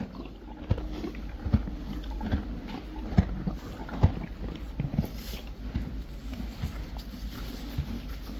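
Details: Hay being chewed by Friesian horses and foals, low muffled grinding broken by a few sharp crackling crunches, and a constant faint high hiss.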